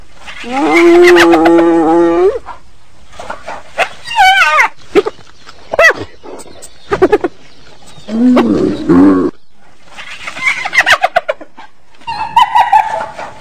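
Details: Hyena vocalising in a varied run: a drawn-out low moaning call, then quick whining squeals, a warbling groan, and bursts of fast, stuttering, laugh-like yelps ending in a higher wavering cry.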